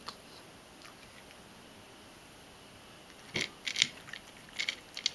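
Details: Mojio the Ragdoll eating dry cat food: near-silence for three seconds, then a quick series of crisp crunching bites, a pause, and a few more crunches at the close.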